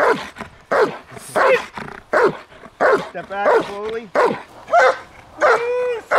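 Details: German Shepherd in high-performance protection training, barking hard and loud in a fast repeated series of about one or two barks a second, broken by a few higher, drawn-out whining cries.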